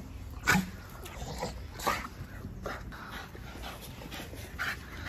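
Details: Staffordshire Bull Terrier in Salvador, Bahia: short breathy huffs and panting bursts, two louder ones early on, then softer irregular puffs about once a second over a low rumbling background.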